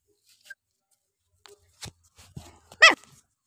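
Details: Puppy out on a walk gives one short, sharp, high-pitched yelp near the end, preceded by a few faint clicks and soft rustling sounds in an otherwise quiet setting.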